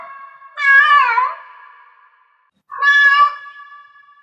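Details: Cat in heat giving two long meows: the first wavers and falls, the second starts abruptly and holds level before fading. A quiet gap separates them.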